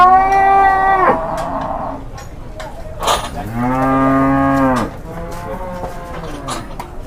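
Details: Agitated cattle described as 'possessed' mooing loudly in two long harmonic bellows, the first about a second, the second nearly two seconds with a falling then level pitch, with sharp clicks and knocks between calls.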